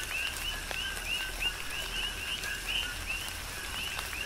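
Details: Many coqui frogs call amid tropical rain on the Big Island of Hawaii, short rising chirps coming roughly three per second from overlapping callers, with rain hiss and sharp drop taps beneath.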